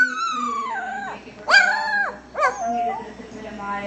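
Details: A puppy learning to call its mother gives drawn-out, wavering howls that slide down in pitch, while a person coaxes it between calls, urging it to call its mother.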